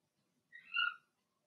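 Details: Blenheim Cavalier King Charles Spaniel puppy from a litter of six, two females and four males, in an indoor home puppy pen during potty training, gives a single short, high, tonal whine that rises and then fades.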